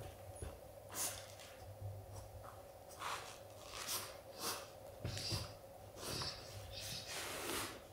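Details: Golden Retriever father snorting indoors to tell his puppy son that playtime is over: short breathy nasal bursts, several in a row spaced about two seconds apart, over a steady low room hum.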